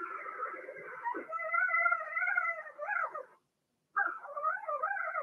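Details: In a puppy pen, a young Blenheim Cavalier King Charles Spaniel from a litter of six whines in a long, wavering, harmonic cry that rises and dips, pauses briefly, then resumes just as steadily.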